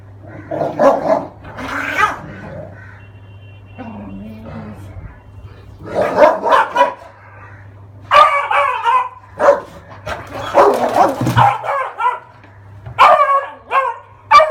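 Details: Great Dane and Beagle fighting: loud, harsh barks and snarling yelps burst in irregular clusters, with short pauses between volleys, over a steady low hum; a person's voice calls out nearby.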